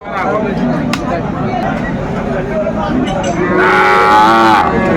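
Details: Sahiwal bull calves at a cattle market in Chattogram, Bangladesh, on 7 December 2024; after a stretch of crowd chatter and men talking, one calf gives a loud, drawn-out harmonic moo near the end.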